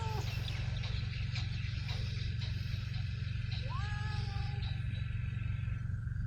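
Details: Homeless stray cats in Ras Al Khaimah, UAE, outdoors: a brief meow at the start, then a longer drawn-out meow near the middle with a rising then level pitch. A constant low engine-like drone and a steady high tone run throughout.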